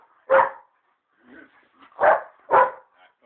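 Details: Playing pet dog letting out three strong barks, one early then two close together near the end, with a few faint low sounds between them.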